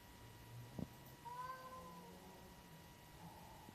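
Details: A single drawn-out meow from a black-and-white tuxedo cat, April 9, 2025, preceded by a sharp knock, with a steady high electronic whine and low room rumble in the background.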